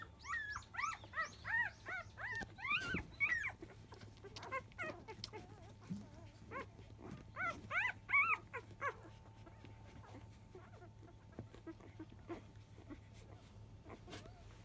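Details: Five-day-old field-line Labrador Retriever puppy at the 10 a.m. feeding, litter of champion dam Biscuit; bursts of high arched whimpering squeaks in quick series, a pause, then another run of squeals before quieter suckling noises.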